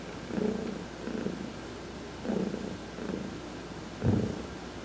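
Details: Heidi, an adopted domestic cat, purring while being massaged during a sunbath on November 19, 2020; soft low rumbling swells in rhythmic breaths, about one every second and a half, with a stronger burst near the end.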